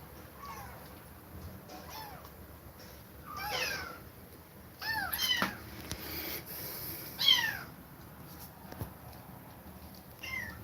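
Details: Kittens separated from their mother after her repeated attacks, crying with a series of short rising-falling meows, several overlapping in bursts around the fourth, fifth and seventh seconds, in a quiet indoor setting.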